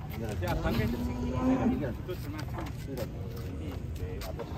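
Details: Very large, agitated cow being loaded onto a truck; a steady, low, drawn-out moo lasting about a second, with men talking over it and background vehicle noise.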